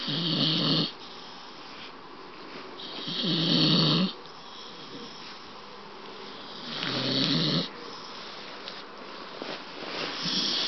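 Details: Staffordshire Bull Terrier snoring loudly while wide awake, three harsh, rasping snorts with a low rumble and a hissy upper edge, roughly every three to four seconds, and quieter breathing between them in a small indoor room.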